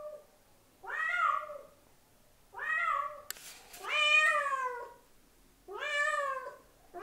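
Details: Meows of a domestic cat trying to attract another cat: four long, wavering, harmonic cries with downward-sliding endings, separated by short pauses, a faint click between the second and third.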